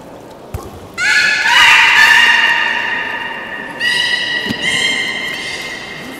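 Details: Beluga at Port of Nagoya Public Aquarium, Japan, public training session on 18 July 2016, 13:30; a sharp click, then a loud rich harmonic whistle that slowly fades, followed by two shorter, flatter whistles in quick succession.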